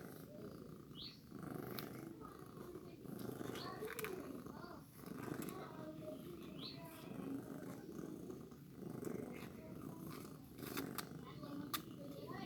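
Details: Newborn kitten during milk feeding, a steady rough purring texture in rhythmic bursts, with a few faint high mews breaking through now and then.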